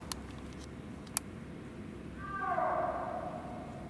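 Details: Snow leopard at Maruyama Zoo, recorded 20 December 2017, giving one drawn-out, moaning call that swells and slides slightly downward for about a second, preceded by two sharp clicks in a quiet setting.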